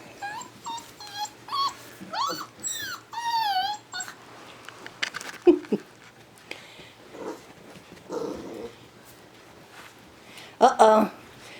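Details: Six-week-old yellow Labrador Retriever puppies playing together, giving a string of high, wavering whimpers and squeals in the first four seconds, then scuffling, soft grunts and short yelps; a person talks softly nearby.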